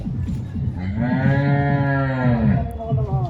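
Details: Jersey cow at a wholesale cattle market, giving one long, steady low moo lasting nearly two seconds with rich harmonics, ending in a slight fall; market hubbub and faint music underneath.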